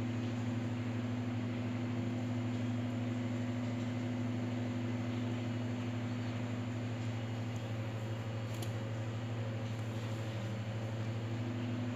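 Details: Steady mechanical hum like a fan or motor fills the recording, with no animal voice.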